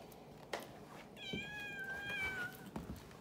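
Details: Domestic cat talking: a single clear, drawn-out meow lasting over a second, gently falling in pitch at the end, framed by soft taps and handling noises indoors.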